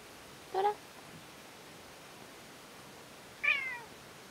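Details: Toramaru, an orange-and-white pet cat, gives two short meows in a quiet setting: first a low, brief one, then about three seconds later a higher, slightly falling meow.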